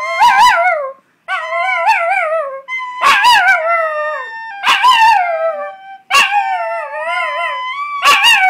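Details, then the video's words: Chihuahua sings with a recorder, producing sharp-onset yowling howls that wobble and slide downward, roughly six phrases in under nine seconds, with a held high recorder note audible between some of them. "Singing chihuahua"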